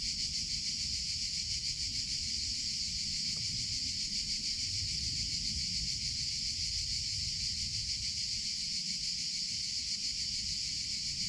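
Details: Cicadas singing in summer: a continuous, intense high buzzing drone with a slight pulsing texture, plus a low murmur of background noise.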